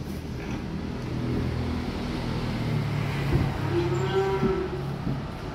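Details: Young calves arriving by truck, one drawn-out moo near the end over steady low engine rumble and vehicle noise.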